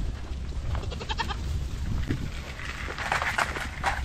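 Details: Nigerian Dwarf dairy show goats on a ranch give wavering, nasal bleats, one around one second and a stronger, longer bleat near three seconds, against a constant low rumble.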